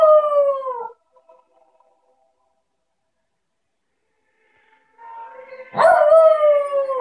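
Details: Havanese named Fergus singing along to the carol In the Bleak Midwinter: a drawn-out tonal howl falling in pitch, about four seconds of quiet, then a second howl swelling up and sliding slowly downward.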